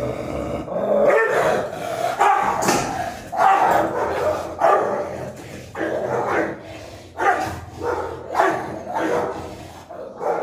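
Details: Aggressive Rottweiler and Pit Bull confronting each other, rough growling barks and snarls repeated roughly once a second, harsh and noisy, with voices faintly mixed in.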